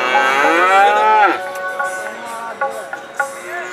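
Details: Holstein Friesian or Jersey calf at the annual national calf competition in Patiala, Punjab, giving a loud drawn-out moo with a falling pitch for about a second, followed by shorter, fainter calls and background noise.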